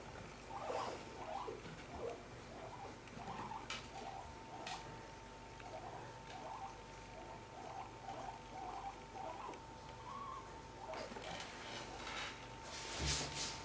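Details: Guinea pigs Cip and Ela, two pets kept indoors, give a long series of short, even squeaky notes repeated about twice per second, joined by rustling, pattering feet and a sharp burst of noise near the end.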